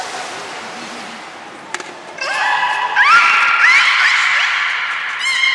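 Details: Captive beluga whales at Port of Nagoya Public Aquarium on 3 February 2019, around feeding and play time: a thump, then a string of bright harmonic squeals with quick upward-sliding notes, growing louder toward the end.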